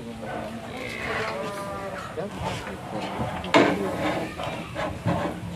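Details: One of three big cows raging after breaking loose from its rope during delivery by a Sleman cattle seller. It gives a drawn-out, low lowing over the first few seconds, then a sharp bang and more faint voices.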